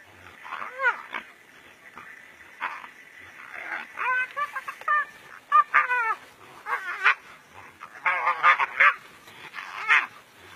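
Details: During a fight between two brown hyenas in the African bush, rapid series of high, quavering yelps and whines, some bending downward, repeated irregularly.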